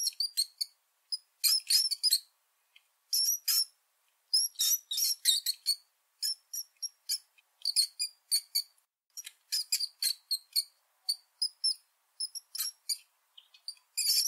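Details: Rat squeaking in quick bursts of high, thin chirps, clustered in short volleys with brief silent gaps over about fourteen seconds; no other sounds.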